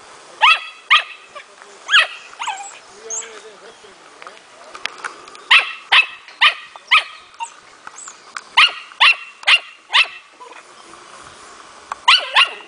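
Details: Four-month-old smooth-coated fox terrier puppy in playful hunting training, displaying inborn hunting instinct; shrill yaps come in runs of three or four, roughly two per second, separated by quieter gaps with faint whimpering.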